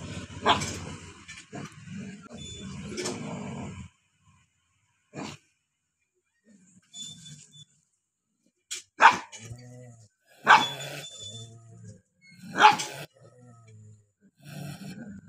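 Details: Two angry dogs barking: sharp, harsh barks come in scattered bursts, some close together and others separated by several seconds of quiet, with low snarling rumbles between them.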